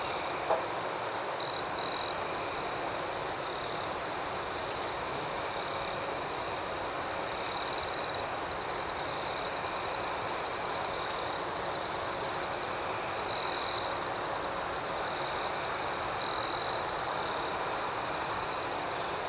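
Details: Crickets chirping in the night, an unbroken high trilling hum with four brief louder outbursts spaced several seconds apart, set against soft background hiss.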